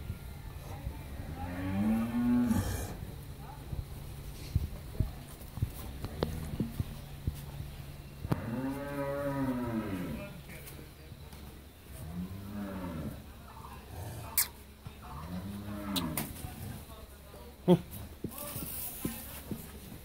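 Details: Friesian dairy cow in Pabna, Bangladesh, first calving and with a bull calf, giving 13–14 litres of milk: a short moo early, then three rising-and-falling lowing calls a few seconds apart, with background clatter.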